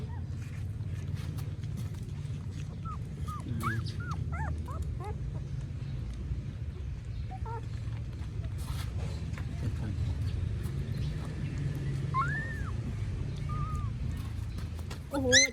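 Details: Newborn puppies kept as pets in Cambodia whimper now and then: scattered short arched squeaks and thin whines over a steady low rumble, with a louder squeal at the very end.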